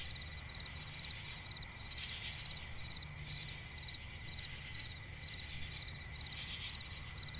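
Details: Crickets chirping at night in a swampy forest: steady high-pitched insect trill with short pulsed chirps repeating in quick bursts, over a continuous low rumble of background noise.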